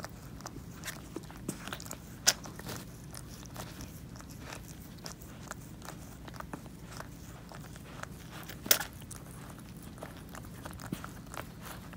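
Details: Quiet indoor room with soft crackling, scraping and a few sharp clicks, with no animal voice heard.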